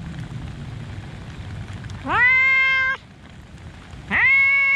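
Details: Rain falls over a park where a cat lets out two long, steady meows, each rising quickly at the start and then holding for nearly a second, separated by a short pause of rain noise.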